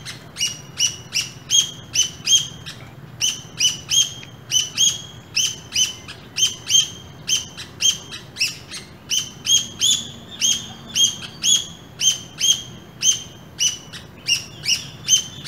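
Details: A pair of squirrels met on an early morning walk in an urban landscape give sharp, high chirps in steady runs, about two to three per second, with brief pauses between bursts.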